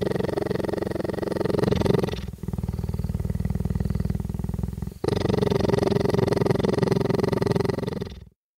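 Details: A cheetah purrs in a deep, steady rumble with brief pauses between breaths while being petted and recorded with a microphone.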